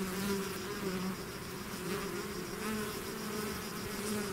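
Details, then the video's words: Bee swarm pouring out of its hive, a dense continuous buzz with steady low hum bands and overlapping wingbeats from many insects, loudness swelling slightly then holding even throughout. "bees therapy swarm natural buzzing sound"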